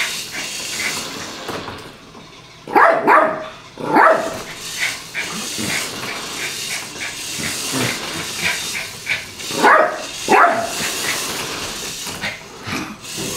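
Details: Bari the Yorkshire Terrier plays with a toy car, letting out sharp, high-pitched barks, often in quick pairs, spread across the recording with softer yips between them over a constant hiss.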